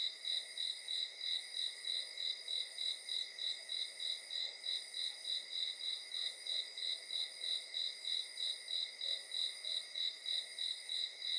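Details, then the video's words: Crickets at night: a steady, high-pitched chirping pulses about three times a second, with an unbroken shrill whine of other insects underneath. No birds or voices can be heard. "cricket sounds"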